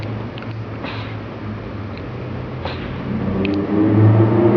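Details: Steady low engine rumble that swells toward the end, with a few faint clicks and no animal voice.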